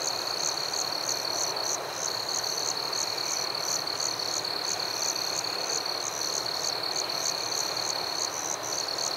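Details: Crickets in a nighttime forest: a constant piercing trill with sharply pulsed chirps repeating about three times per second, steady and rhythmic, over a continuous hiss.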